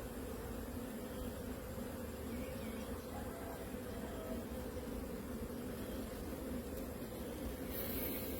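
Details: Honey bees at a beekeeping farm, a steady droning hum with low, even tones that continue unbroken for the whole stretch, no other clear sounds above the buzz.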